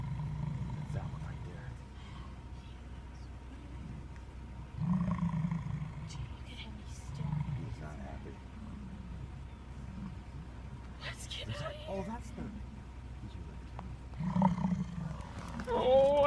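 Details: An angry American bison in a herd crossing a road in Yellowstone National Park gives deep, rumbling growls in low bursts every few seconds, with people talking nearby.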